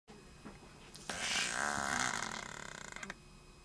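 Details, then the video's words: Jenni, a female pet Shih Tzu, snoring in heavy sleep: after a quiet start, one loud rasping, buzzy breath with a harmonic ring swells and holds for about two seconds, then fades with a fluttering rattle. "Jenni Snoring"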